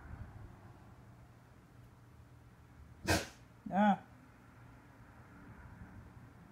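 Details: Rottweiler, one of two dogs at home, during a daily after-dinner play routine: a sharp knock followed by a single short, deep harmonic bark, with a steady low household hum underneath and otherwise quiet.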